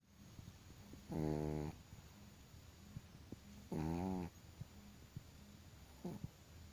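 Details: Chihuahua dog snoring loudly: three buzzy, nasal snores of about half a second each, rich in stacked tones, coming every two to three seconds, with soft breathing and low rumbling between them.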